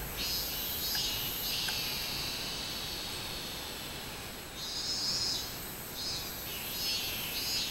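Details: Minmin cicada singing on 24 July 2016 in summer: a loud, sustained high-pitched buzzing drone that swells and fades in long blocks, with a steady faint hiss underneath.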